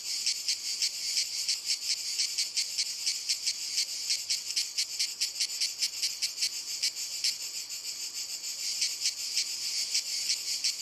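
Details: Cicadas singing on walnut trees give a loud, metallic buzzing chorus broken into quick regular pulses, with a brief steadier patch midway before the throbbing resumes.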